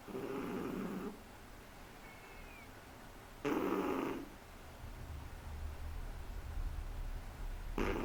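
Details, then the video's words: Snoring Shih Tzu puppy aged three months, indoors. Coarse, buzzy snore breaths of about a second each recur every three to four seconds, with a faint squeaky whistle trailing one breath and low steady background rumble. "SHIH TZU roncando"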